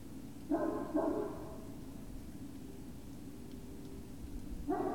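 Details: Great Dane puppies, Puppy Hill, evening of 19 February 2019: two drawn-out, harmonic whining cries open the recording, followed by quiet hum and another cry rising at the very end.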